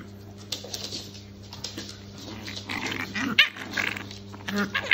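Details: Shar Pei puppies play fighting indoors: scattered rough, noisy yelps and growls in short bursts, louder toward the end, over a steady low hum, with a person's voice briefly heard.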